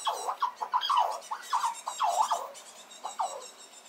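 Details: Little red squirrel defending its nut source against an approaching squirrel with rapid, repeated squeals, each a short downward-curving squeak, about a dozen in under four seconds, fading toward the end.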